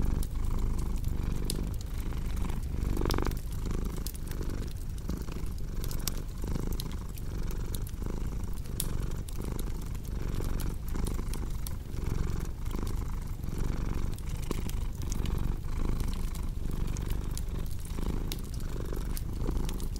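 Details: Continuous low purr from a cat, a deep vibrating hum that swells and eases in a slow breathing rhythm, with frequent bright crackles from a wood fire throughout.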